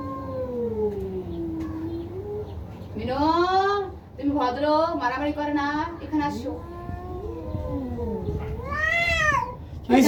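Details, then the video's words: Cats in a fierce fight in a Bangladeshi village home, drawn-out wavering yowls rising and falling in pitch, broken by harsher strained wails, with a person's voice in the background. "বিড়ালের ভয়ংকর ঝগড়া"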